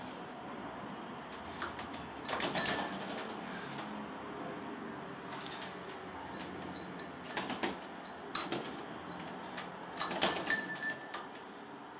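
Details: Indoor clatter, clicks and splashy rustling come in short bursts over a steady background hiss, with no clear animal voice.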